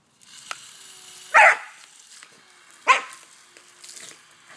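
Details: Cody, a pet dog playing with a garden hose, gives two sharp, loud barks about one and a half seconds apart over a low background hiss, with faint clicks and soft noises between them.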